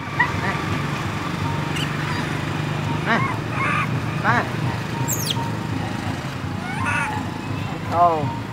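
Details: Baby monkey crying loudly: short, high, arching wails with a strained harmonic edge, about five cries spaced a second or so apart, over a steady low hum, with people talking nearby.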